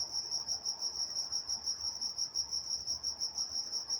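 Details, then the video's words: Crickets calling at night in Walnut, California, a continuous high, sizzling chirp pulsed in even beats about three times a second, with only faint low background noise. "Nature Sounds Night Time Crickets in Walnut, California"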